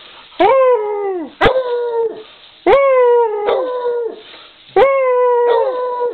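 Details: Dog howling in a series of long, harmonic-rich tones that start with a sharp onset and slowly fall, repeated roughly every two seconds.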